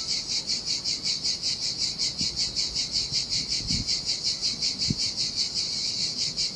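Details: Heat-of-summer cicadas near the Sardinian shore give a loud, high, grating buzz pulsed in a quick regular rhythm, about two and a half beats a second, with faint low knocks scattered beneath.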